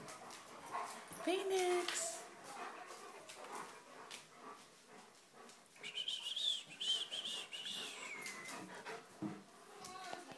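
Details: Three German Shepherds named Rocky, Phoenix and Yoshi tease each other in a playful spat indoors. A short mid-pitched whine is followed by a high, drawn-out whine with wavering pitch, among scuffling, panting and a woman's voice.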